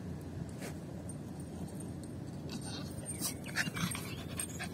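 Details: Yorkshire Terrier Lucy, a pet dog, panting while playing fetch with a ball; soft breathy rasping bursts cluster in the last two seconds over a steady low background rumble.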